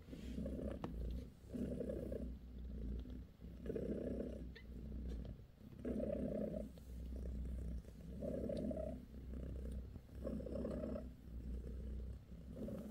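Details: Bassy, a British shorthair mother cat, purrs while giving her kittens a massage; a low, rumbling purr swells and fades in steady breathing cycles about every second and a half, with faint rustling.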